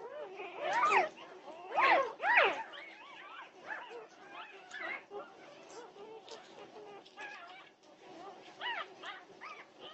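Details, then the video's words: Norwegian Buhund puppies at 2:30 am, June 8, 2021, with a few loud overlapping yelps early, then softer wavering whines and little yips continuing from several puppies at once. "Puppy Pandemonium at 2:30am! Norwegian Buhund Puppies"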